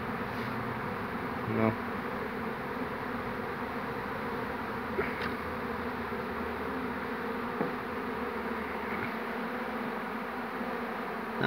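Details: Honey bees from a swarm that settled on a small tree move in to join their queen on 2 June 2019. There is an unbroken, thick humming drone, punctuated by brief taps and a soft murmur of voice.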